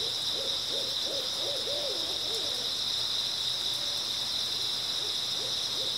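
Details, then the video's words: Unbroken high-pitched chirping of grass insects on an early autumn night, joined at the start by a burst of low, bouncing hoot-like notes, then a few isolated ones near the end. "초가을 밤부터 새벽까지 백색소음 풀벌레 소리"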